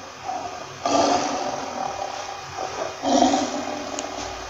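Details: Two moderately loud lion roars about two seconds apart, rough and rumbling, each fading slowly into a quiet background.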